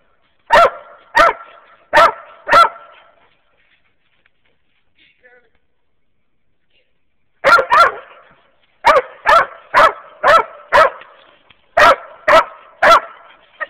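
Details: Hunting dogs, a Walker hound mix and a younger mountain cur crossed with black and tan, squirrel hunting in Wayne County, Kentucky. Four sharp, ringing barks come in quick succession, then a quiet pause, then longer runs of rapid, evenly spaced barks.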